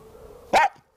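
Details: A Cairn Terrier in a yard gives a single sharp, mid-pitched bark over a faint background hum.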